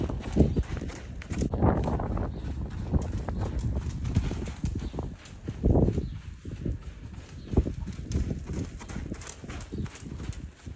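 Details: Buckskin Quarter Horse filly, two years old, working on the lunge: steady clip-clop of hooves, deep thumps recurring about every second with softer steps between, over continuous low-pitched background noise.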